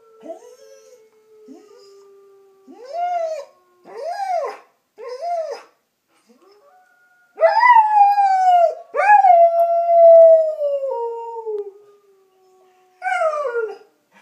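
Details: A German Shepherd–Collie mix dog, which its owners think is a bit wolf, howls in rising, arching wails in reaction to the sound of wolves.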